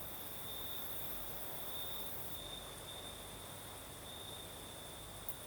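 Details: Crickets in southern Crimea after dark: a steady, shrill, sustained trill that swells slightly at times, backed by the low rush of a night breeze.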